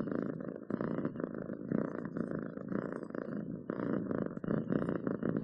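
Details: Domestic cat purring steadily up close indoors, a continuous low rumbling buzz pulsing in quick rhythmic bursts with brief pauses for breath, no other sounds.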